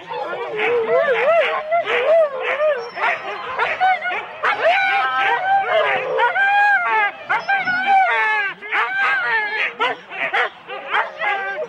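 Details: Huskies in 4-dog sled teams at the start of a race at Rendlesham in January 2016: many dogs bark and yelp together in a dense, excited chorus of high, wavering yelps with no pause.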